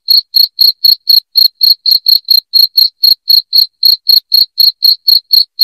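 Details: Piercing, evenly paced cricket chirps, about four each second, form an unbroken run in this loud recording intended to repel rats at home; only the insect is heard.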